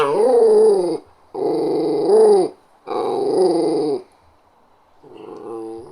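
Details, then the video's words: A West Highland White Terrier (Westie), a small terrier, growls in three drawn-out, rumbling bursts, then gives a softer fourth. "Small dog growling sound effect"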